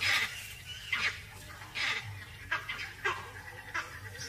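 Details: Vervet monkeys chattering in the distance give harsh alarm calls in short irregular bursts, echoing a jackal's barks and alerting a leopard, coming from the direction of her den.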